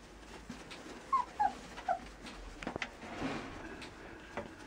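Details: Border Collie offered for sale, with three brief high whines in quick succession near the start, followed by faint clicks and shuffling indoors.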